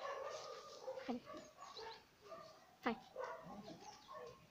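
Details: Brăduț, a two-month-old Romanian Mioritic Shepherd puppy on a morning walk, gives short whiny yelps, two sharp falling cries standing out near one and three seconds, over a steady whimpering tone with a person's voice nearby.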